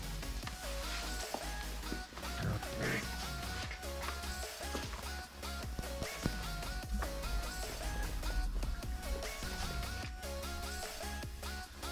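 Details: Steady guitar-led music plays throughout with plucked strings and a constant low bass; no animal voice stands out.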